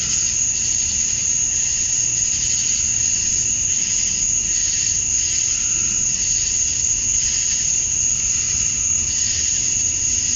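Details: Male cicadas chirping to attract females at dusk on a summer night in Georgia, USA: a dense, unbroken shrill drone centred very high, with a fainter buzzy band beneath, steady in loudness throughout.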